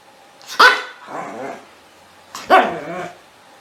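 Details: Barking dog used to scare cats: two loud barks about two seconds apart, each followed by a softer, rougher tail.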